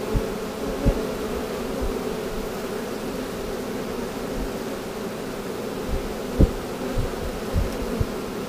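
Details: Honey bee swarm caught in 2017, buzzing as a broad, constant drone while being boxed, punctuated by irregular tapping and knocking sounds.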